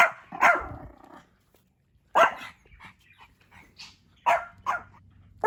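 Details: On his second birthday, Hendo the Pomeranian, a pet dog, lets out loud, harsh barks spaced about two seconds apart, some in quick doubled pairs, with soft room sounds between them.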